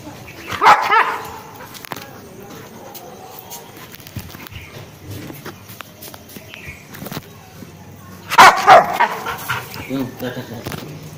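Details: Rottweiler aged seven months producing two separate bursts of deep, forceful barking, each a quick cluster of two or three barks, separated by a long quiet stretch with faint background noise.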